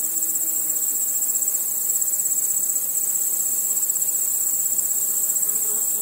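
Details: Night chorus of chirping crickets: a steady, very high, rapidly pulsed trill that never breaks, with a faint low murmur underneath.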